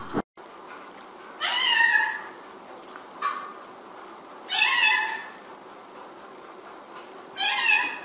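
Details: House cat meowing repeatedly, four drawn-out, slightly rising-then-falling meows spaced roughly every two to three seconds, the later ones louder, with quiet room noise between calls.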